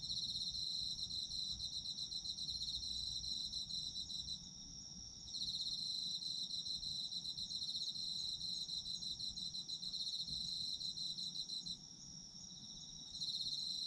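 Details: Autumn insects singing, sleep ASMR: a high, rapid pulsing chorus that drops away briefly twice, near four and twelve seconds, then resumes at full strength, with a faint low rumble throughout.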